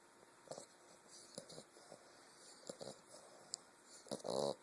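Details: An English bulldog puppy snores in short, rough snorts, ending with a louder nasal, buzzing breath.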